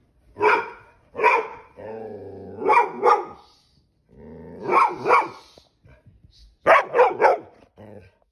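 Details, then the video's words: Ranger the Pit Bull gets mad at having his tail grabbed, letting out loud, sharp barks in pairs and threes, separated by low rumbling growls, about six barks over eight seconds. "Our Pit bull Hates Getting his tail grabbed"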